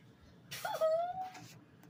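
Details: A cat's single drawn-out meow, a clear, even-pitched cry opening with a brief wobble and then holding steady for about half a second before fading, over a faint low background hum.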